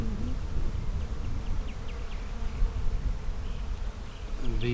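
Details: Honey bees humming in a split hive made March 4, opened for inspection on April 15, 2017; a steady low drone with soft higher buzzing traces drifting over it.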